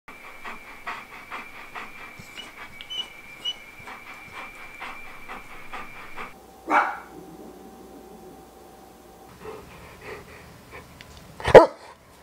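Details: Wallace, a pet Old English Sheepdog with many ways of telling his owners what is on his mind: steady rhythmic panting under a long, thin, high tone, then a short lower hum and two sharp louder bursts near the end.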